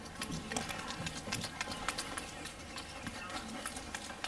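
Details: Capuchin monkey named Wolfgang smacking his lips while eating a Johnsonville bratwurst indoors; quick, wet, clicky smacks come in an uneven run of about three to four per second, with chewing noises between them.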